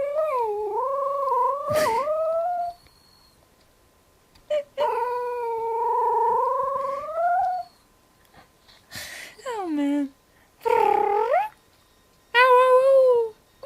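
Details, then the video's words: Pet dog with a very weird howl: wavering, sliding tonal wails, two long howls of several seconds each, then shorter falling and rising cries, with brief noisy breaths between them. "Dog howling and making strange noises"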